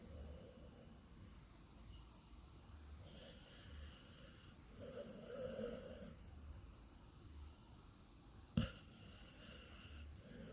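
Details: A sleeping female pet dog making funny noises in her sleep: soft, low snoring breaths repeating every second or so, with a faint whistly wheeze and a single sharp knock partway through, in a quiet room.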